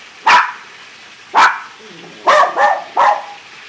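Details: Barking from a male Jack Russell Terrier, about 13 years old, in the background by a pool with another dog nearby: five short, sharp barks, spaced about a second apart at first, then a quick cluster of three, with faint speech between them.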